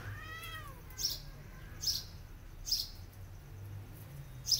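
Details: Mother cat nursing her kittens, hitting them after they bite her while feeding. One drawn-out meow with stacked harmonics opens the clip. Short, sharp, high bird chirps then repeat roughly every second over a low background hum.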